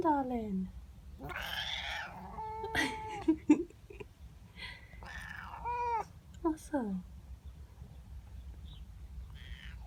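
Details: Female house cat calling at a neighbour cat in her garden in the morning, unhappy at the intruder: several short wavering meows and drawn-out yowls with pauses between, a woman talking softly over them.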